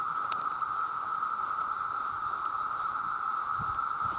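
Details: Huge numbers of male cicadas calling to attract mates, producing a loud, unvarying whine steady from start to finish, with a faint pulsing shimmer higher up and little else audible.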